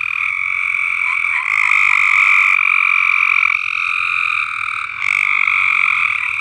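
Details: A loud, continuous chorus of high, buzzy frog trills from frogs in an uncleaned above-ground swimming pool on a farm.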